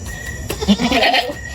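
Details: Farm goat giving one short, wavering, nasal bleat lasting under a second, with people talking close by and light farmyard background noise.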